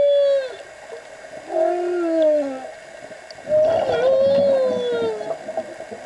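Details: Humpback whale song heard underwater during a dive: long, sliding moaning tones that rise and fall, with harmonics above.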